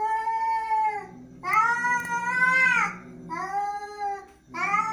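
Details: Angry domestic cat giving long drawn-out meows, three main wailing calls with rich harmonics, the middle one longest and rising slightly before falling, then a fourth starting at the end; indoor setting.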